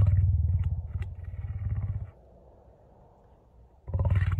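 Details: Lion purring: deep, low rumbling pulses with rapid regular beats, about two seconds of purring, a quiet pause, then the purr resumes near the end.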